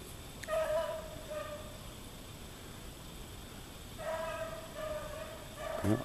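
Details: Daisy, a young dog still in training, hunting in a back yard in deep snow in Maine: two drawn-out, distant baying tones, each held about a second with a slight fall, separated by a long quiet gap.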